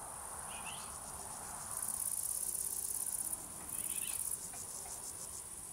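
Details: A cricket chorus with a nearby singer bursting into two loud, rapid, high-pitched trills, the first lasting about a second and a half, over a constant background shimmer and a couple of soft chirps.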